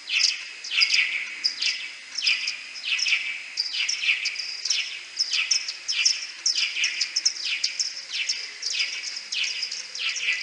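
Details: Slowed ten times, Type A social calls and echolocation from common pipistrelles in a wooden-hide maternity roost in May 2022: dense, irregular trains of falling chirps about one and a half per second, with stacked harmonics.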